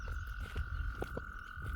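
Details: Wild gray tree frog heard in spring beside a flooded culvert: one continuous, even-pitched trill held without pause, with low churning water noise and a few faint clicks underneath.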